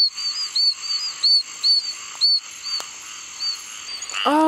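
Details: Two oak toads (Anaxyrus quercicus), found in amplexus, give advertisement calls at night in Apalachicola National Forest, north Florida, in summer after extreme rain: short, very high squeaky peeps repeated about every half second, like a chick.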